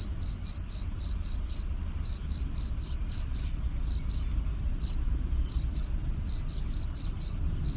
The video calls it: Field cricket chirping Sounds